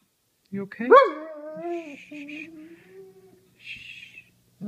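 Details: Domestic dog whining as people yell to each other at home; a sharp rising yelp slides into a long falling whine, then a faint high tail, with soft voices in the background.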